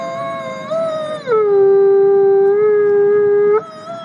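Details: Loud clear howl from Nikai, a captive-born gray wolf serving as an ambassador wolf at the Wolf Conservation Center in South Salem, New York, opening mid-pitched, dropping into a long low steady note, then jumping back up at the end.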